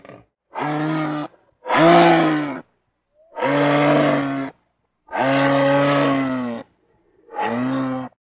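A moose gives a series of long, deep, nasal moans, each about a second long.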